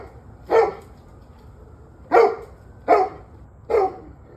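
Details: A dog gives four abrupt barks, the first alone and the last three coming closer together, about a second apart. Recorded November 21, 2023, 7:06 pm, with a faint steady tone underneath.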